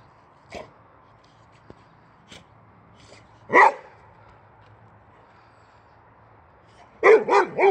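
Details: Male Swedish Boxer born August 2015, barking excitedly at the tire on a wheelbarrow: sparse faint yaps early on, one sharp bark midway, then a quick burst of three loud barks at the end.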